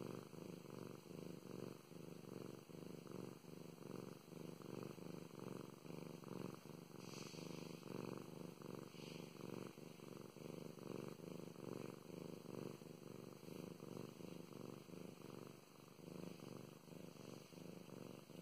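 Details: Purring of the pet cat Mow Mows as she is stroked at home; deep, even rumble rising and falling in rapid breathing cycles, with a light brushing sound of petting briefly audible midway.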